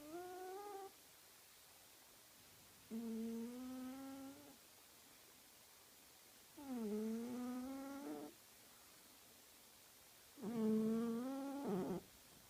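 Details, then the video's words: Snoring sleeping cat producing four long, whistling nasal breaths, each rising then wavering, about one to one and a half seconds long and spaced three to four seconds apart in otherwise silent surroundings. "А что делать, если еще храпит и кот?"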